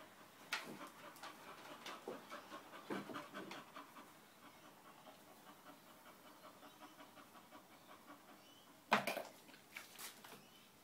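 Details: Uncontrollable English bull terrier breathing in fast, regular pants, loudest in the first few seconds, then softer, before a sudden loud clatter near the end.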